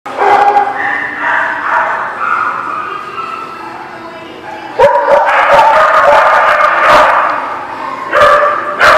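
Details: Several dogs at a dog boarding or play lot bark, recorded on 12 November 2017; overlapping barks and yips with sustained harmonic tones, a louder burst of barking near the five-second mark and again near the end.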